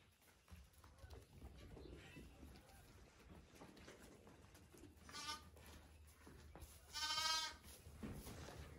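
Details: Lamb in a pole barn calling out to its owner while asking for milk; a short bleat midway, then a louder quavering bleat, over steady low humming and shuffling.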